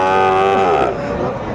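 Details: Sahiwal cattle at a busy cattle market in Comilla, Bangladesh, on 12 February 2025: a short, loud, rich-toned moo holding steady for most of a second, then fading, with market bustle behind.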